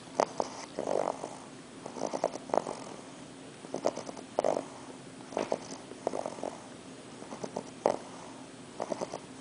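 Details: Worn out from the long trip from Kansas, English bulldog puppy Arthur snores through his first night in New York City: loud, rhythmic, rattling breaths, several short pulses per snore, repeating about every one and a half seconds.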